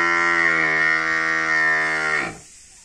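A water buffalo calf gives a long, steady, nasal bawl that drops and cuts off abruptly.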